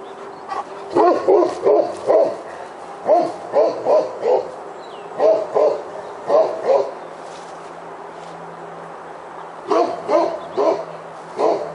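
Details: Roxy, a Great Pyrenees, barks beside a house while holding a black bear up a tree after a commotion at the trash barrel; deep barks come in bursts of two to four, with pauses between groups.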